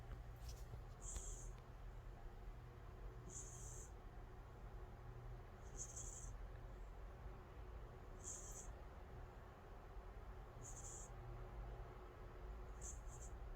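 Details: Sleeping calico cat Angttu snoring deeply. Airy high wheezing breaths return at an even pace about every two and a half seconds, six in a row, with a quiet low room hum beneath.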